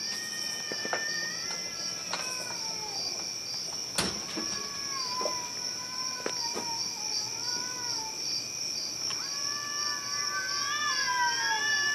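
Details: Cats making a horrible noise, much louder in person: repeated long, wavering, moaning yowls that rise and fall, several overlapping toward the end, with scattered clicks and a constant shrill insect-like drone behind.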